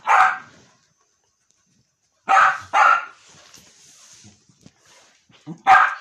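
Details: Indoors a dog annoying his mother gives sharp single barks, then a pair in quick succession, then another after a pause, with quiet gaps between.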